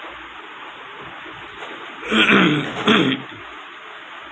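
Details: A short cough or throat-clearing burst rises briefly over a steady background hiss, with no animal voice heard.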